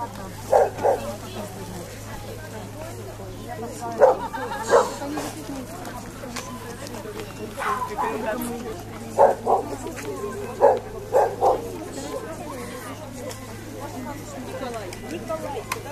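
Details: Standard (large) poodle in a dog-show ring at Bolshoy Kamen on 22 July 2017: short, sharp barks scattered through the recording, about seven bursts in sixteen seconds, over steady murmuring voices and low hum.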